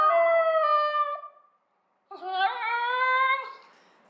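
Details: Indoor Basenji, one of two pets, sings on request: a long, steady howling yodel, then a short silence, then a second wavering, rising-and-falling baroo lasting over a second, the house otherwise quiet.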